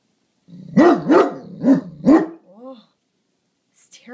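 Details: Great Dane watching over the house, barking at a garbage can: four deep, heavy barks about every third of a second, then a softer whining yelp, with a woman's voice speaking at the end.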